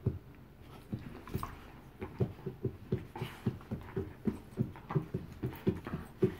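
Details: Two bull terriers, Joy and Miley, give regular low huffs about twice a second, short breathy pulses that sound like panting or snuffling, with faint higher squeaky notes now and then.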